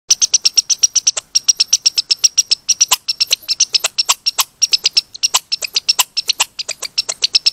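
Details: Red squirrel calling in a showy burst likened to rapping or beatboxing: rapid, steady series of high, thin squeaks mixed with sharp clicks, about six per second, with a few brief pauses, no other sounds.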